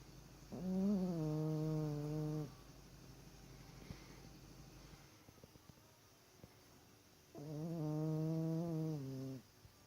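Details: Sleeping dog snoring: two long, droning, harmonic snores of about two seconds each, roughly five seconds apart, with quiet room hiss between.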